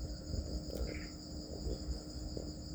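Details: Crickets reared on a farm produce a sustained high-pitched ringing trill without pause, accompanied by soft taps, a brief mid-pitched squeak and steady low rumble.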